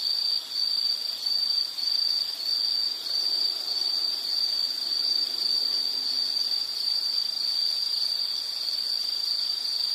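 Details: Continuous high insect trilling, a dense ringing band with slight pulsing and gentle swells in loudness, plus a faint higher whine throughout.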